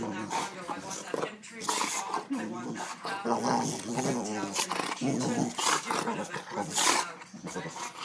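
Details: A male dog, excited and showing off in front of the camera, growls and grumbles in uneven bursts mixed with short barks and whines. A human voice chats alongside the noisy, continuous vocalizing.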